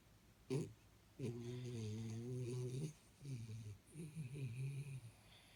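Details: Jaxie, a sleeping Jack Russell Terrier, snoring: a short sharp snort, then a long, low, buzzy rumble lasting over a second, followed by several shorter droning snores in a quiet room.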